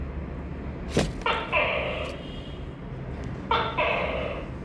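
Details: Tokay gecko calling twice, each call a quick sharp syllable followed by a longer nasal, harmonic second syllable, preceded by a brief click, with a low steady hum underneath.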